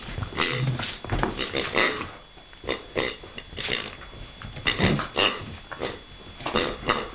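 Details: A grunting pig heard at close range, giving a string of short, rough, breathy grunts in irregular bursts, sometimes several in quick succession, with brief pauses between, in a small, reverberant space.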